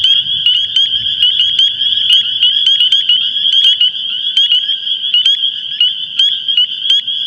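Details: A dense chorus of thousands of male Spring Peepers calling from reeds in Long Island swamps and vernal pools in early spring: breeding calls of high, shrill peeps that overlap into one steady, ringing wall of sound.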